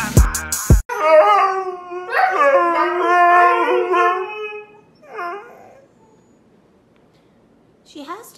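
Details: Siberian Husky howling in a long, wavering wail with rich overtones that rises and falls for about three seconds after a sharp opening clatter, then two softer, shorter whining notes trailing off, with faint background music.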